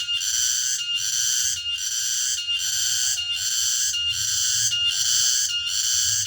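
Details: A cicada (tonggeret) calls in the late afternoon in a remote rural place, its piercing metallic buzz swelling and briefly cutting out in an even rhythm about every 0.8 seconds, with soft low background noise.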